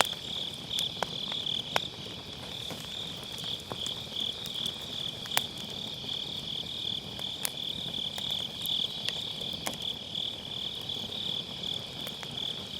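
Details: Grass insects calling on an autumn night, a constant high beating trill, while a campfire in a round fire pit crackles with frequent sharp pops; recorded on a Sennheiser MKE600 with low cut.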